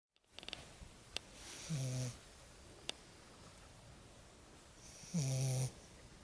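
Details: Lagotto Romagnolo puppy named Lexa, asleep after her first exciting walk in the woods, snoring in two drawn-out low rasping breaths about three seconds apart, with faint clicks and a quiet room between.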